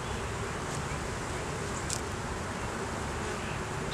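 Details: Dense, even hum of a honey bee colony opened for inspection in a beeyard on a day a laying queen and honey were found; continuous broadband buzzing without pauses, a few faint clicks over the top.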